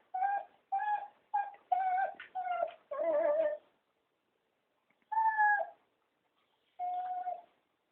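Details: Three cocker spaniels begging for a walk give a run of six clear, steady whines. The last is longer and wavering. Two more drawn-out whines follow after a short silence.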